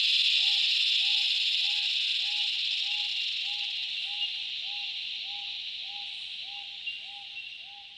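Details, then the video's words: Cicadas drone loudly in the Australian bush in summer, a high even buzz that slowly fades. Beneath it a separate low hooting note repeats steadily, roughly three times every two seconds. "Cicada sounds - The loud calls of cicadas in the Australian bush in summer"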